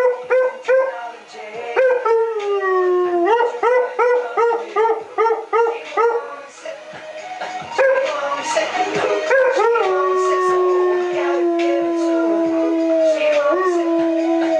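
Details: A 3-year-old Siberian Husky howls along to a 50 Cent & Justin Timberlake song at 1 am in an apartment block, rising, wavering notes then long drawn-out tones over the music.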